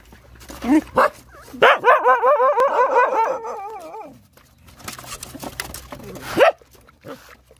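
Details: Nursing Rottweiler puppies, said to be hungry, give a sustained trembling whine with rapid pitch wobbles, plus short squeaks before and after, over faint rustling and a low hum.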